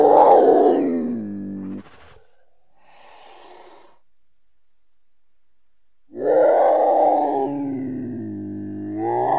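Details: Cougar, or mountain lion, giving two long harmonic yowls, each mid-pitched and wavering slightly, about six seconds apart, with a faint softer hiss between them and a third call starting at the end.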